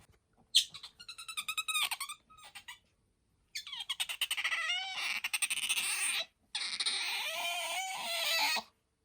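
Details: Pet otter named Bingo, kept indoors, squeaking in a small room: rapid pulsed chirps, then long high wavering squeals with a rippling, trilled quality, broken by short silences.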